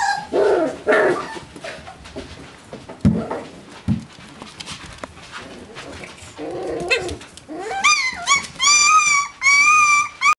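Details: Beagle puppies at four weeks old, indoors: rustling and shuffling at first, then a run of clear, high, wavering whines in several drawn-out bursts toward the end.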